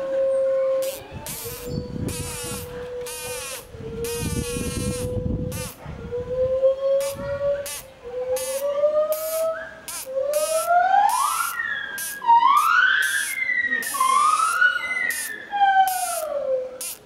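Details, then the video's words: A captive chimpanzee at Tobu Zoo whistles long, pure tones that slide gently, then climb into higher rising notes. "A whistling Chimpanzee.チンパンジーの口笛。"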